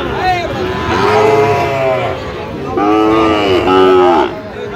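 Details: Sahiwal bull calves at a market in Parbatipur, Dinajpur, Bangladesh, 17 October 2025: two loud harmonic moos, the second bending downward, with people talking and bargaining nearby.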